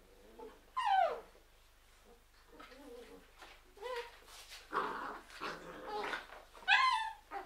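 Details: Labrador Retriever puppies from a litter of seven, indoors: high falling whines and whimpers, several short yelps and squeaky cries overlapping, loudest bursts near one second and near seven seconds.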